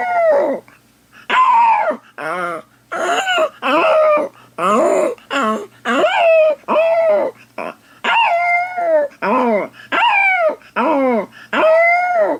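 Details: Dog howling indoors while its owner's sister is away; a long run of separate drawn-out wailing howls with rich harmonics, each about half a second to a second, falling at the end, with short gaps between them and a low steady hum beneath.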